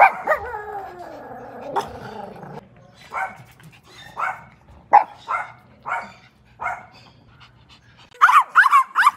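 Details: Crying and barking Chihuahua: a wavering, descending whimper first, then a steady run of about seven clipped, high yaps, ending in a rapid cluster of shrill, rising yelps.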